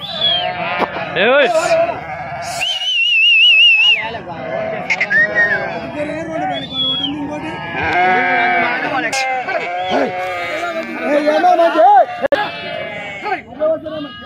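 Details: Flock of sheep unloaded at Pebbair market in Telangana, India, giving many overlapping quavering bleats, some high and drawn-out, others short, continuous over the whole stretch with people's voices and bustle behind.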